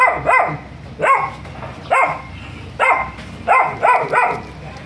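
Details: Two-month-old Belgian Malinois puppy giving high, yappy barks with a rising-falling pitch, about seven barks over five seconds, some in quick pairs.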